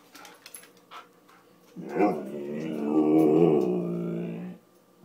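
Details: A male Siberian Husky gives a long, wavering, talking moan, rising then sliding, asking for dinner three hours early while his owner tells him it is not dinnertime.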